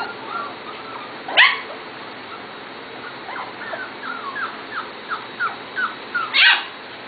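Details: Almost seven-week-old Corgi puppies from two litters, Katie's and Venus's, giving a steady string of short, thin, downward-sliding whimpers with two sharp, piercing yelps, one early and one near the end.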